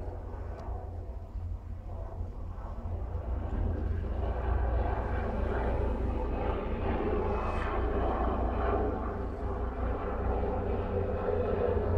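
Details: Low droning engine noise, like a passing airplane, grows louder and continues outdoors, with no animal voices heard.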